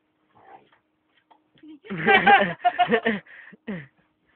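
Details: Playing Akitas: after a faint murmur, a burst of throaty, grumbling whines and yips runs for about a second and a half, broken into short pulses, with a person's voice mixed in.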